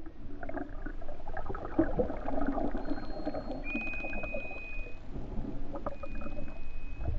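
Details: Underwater recording of false killer whales from the endangered main Hawaiian island population, off West O'ahu, Hawaii, while they attack mahimahi. Several thin steady whistles, one long, with faint click trains over a heavy low rumble of water and boat noise.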